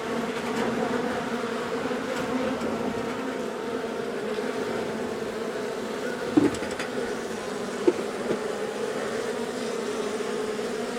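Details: Honey bees from a long-established colony in the wall of a house, angry after dark on day one of a March 6 rescue cutout. A steady, dense humming drone with two brief sharp knocks partway through.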